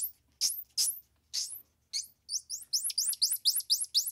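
A squirrel monkey gives very high, thin chirps that speed up into a rapid run of rising peeps.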